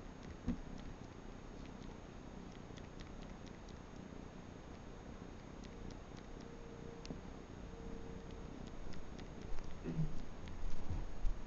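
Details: Atlas, a Manx kitten, suckling on a bathrug: a soft, steady, low rumbling purr runs throughout, with faint clicking sucking noises and a louder rustle near the end.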